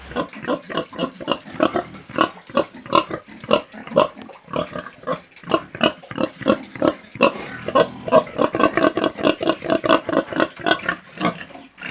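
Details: A pig gives a rapid run of short, rough snorting grunts, several each second, described as snoring.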